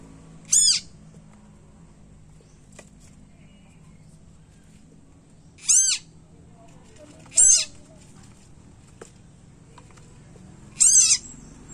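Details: Tiny frog crying loudly after being bitten by a snake: four short, piercing, high harmonic screams, each briefly arching in pitch, spaced irregularly a few seconds apart, with a faint steady hum beneath.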